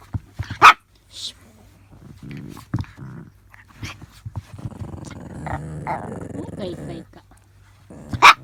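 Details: Small pet Chihuahua working its way around a cardboard barrier indoors to reach a companion dog: one sharp bark near the start and another at the end, with a woman talking, rustling and faint growly sounds in between.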